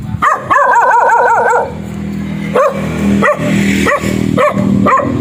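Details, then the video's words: Black dog barking: a quick run of rapid yelping barks, then single barks repeated about every half second over a steady low hum. "Suara anjing hitam menggonggong"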